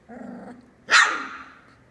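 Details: Australian Labradoodle puppy, three weeks old, in Tilly's litter with eyes beginning to open: a low murmuring whine followed by a single sharp, loud yelp that trails off quickly.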